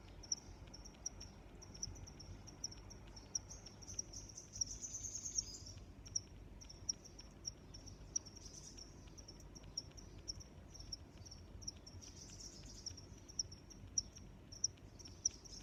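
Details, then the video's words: Crickets keep up a steady, high, pulsing chirp throughout, broken by brief louder trilled swells and scattered faint ticks against gentle background noise. "Sounds of Crickets"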